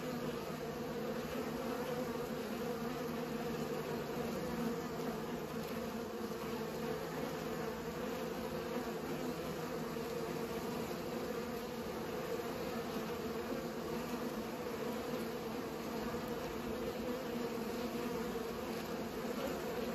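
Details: Pollinating bees give off a continuous, even buzzing hum, with layered low droning tones holding steady from start to finish.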